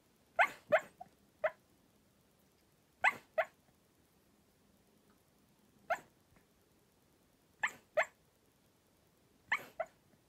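A sleeping Cairn Terrier gives soft, muffled barks, often in quick pairs, about every two seconds.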